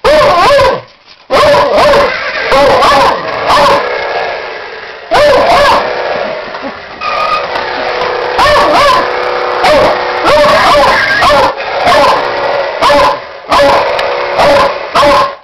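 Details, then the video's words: Beagle mix barking at a toy car indoors: loud, clipped barks with high yipping edges, coming in quick bursts of one to three roughly every second, with short whiny gaps between them. "loud dog barking at toy car"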